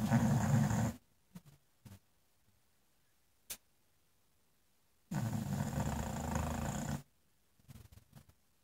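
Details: An English Bulldog snoring by a fireplace, with two loud, raspy, low rumbling snores of about one to two seconds each, roughly five seconds apart, separated by quiet gaps with soft clicks.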